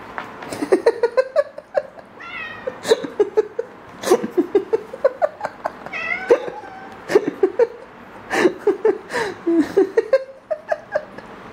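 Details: Pet cat with foxtail grass, calling in rapid bursts of short, rising, nasal chirping meows, several per second in clusters, with brief pauses between runs.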